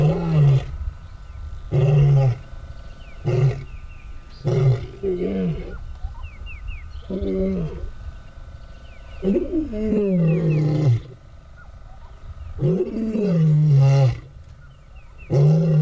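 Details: Two male lions whose territories are divided by a fence, the more mature male asserting dominance over the younger; deep grunting roars repeated in bursts every one to two seconds, rising into longer moaning calls, with a steady electrical hum.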